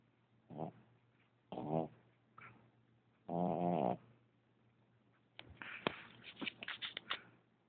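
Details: Asleep puppy whose loud snoring wakes him: a few short rough breaths build to one long buzzing snore, followed by a burst of scuffling and clicking sounds as he stirs.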